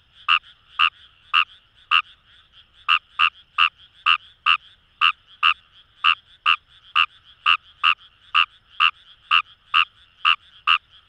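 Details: Wild Fejervarya kawamurai calling in paddy fields along the Kamo River, Itoshima, Fukuoka, Japan: loud, short croaking notes repeated about once per second, some doubled, over a faint continuous chorus of more distant frogs.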